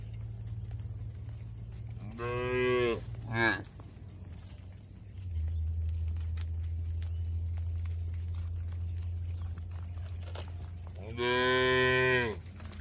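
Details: Tame cattle moo as they are driven to an open field in a village area. A short moo with a brief grunt, then a steady low motor hum, and finally a longer, strong moo.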